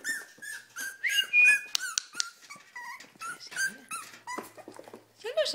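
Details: Cavalier King Charles Spaniels, several females excited before feeding; high, thin whimpers and short yelping whines in bursts, with a woman talking to them in Spanish between the calls.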